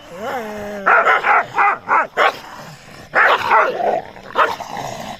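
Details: Running dogs reacting to a stranger, opening with a rising and falling whine, then a fast run of harsh barks, a pause, and another cluster of loud overlapping barks.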